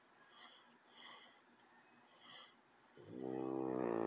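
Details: A sleeping French Bulldog lying beside a cat snores in a slow rhythm: quiet, airy rasps on each breath, then a louder, throaty, buzzing snore that swells and rises at the end.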